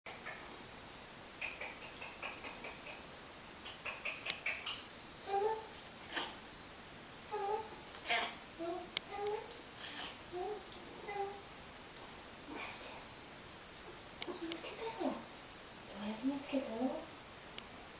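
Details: Amitaro, a pet cat, answers indoors when spoken to: short, mid-pitched meows trade places with a person's talking, in bursts spread through the recording and clustered near the end.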